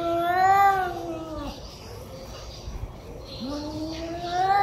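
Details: Cats in anger, growling and meowing loudly at each other: a sustained moaning yowl that slides downward and fades, a quiet gap, then another yowl swelling upward at the end.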